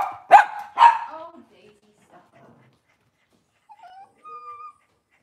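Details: Cavalier King Charles Spaniel on an indoor kitchen camera, cloudy Monday morning: a loud double bark opens, followed by near silence with faint brief whimpers and a thin high whine.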